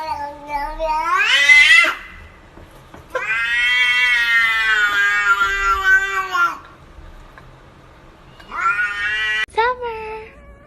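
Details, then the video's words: Cat making three loud meows: a short rising one, then a long sustained wavering wail of about three and a half seconds, then a shorter rising cry with a sharp click; quiet pauses between them. "Cats talking !! these cats can speak english better than hooman"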